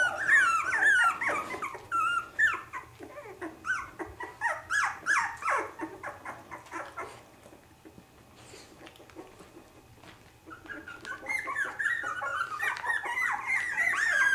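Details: Havanese puppies, three weeks old, indoors: many high, wavering squeals and whines overlapping in quick bursts, a quieter stretch in the middle, then another run of thin, wobbling cries.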